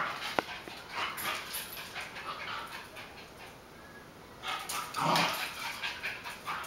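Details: Two pet dogs, Buddy, a beagle-basset hound mix, and Sonic, a chihuahua-dachshund mix, playing together in a kitchen in July 2013; quiet scuffling gives way to a loud, rough burst of yips and growling noise near the end.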